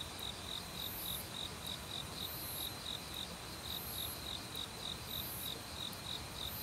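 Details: Autumn crickets in a forest at night, singing with various other insects; a steady train of short high chirps about three and a half per second, with repeated higher buzzy pulses above and a broad rushing stream noise underneath.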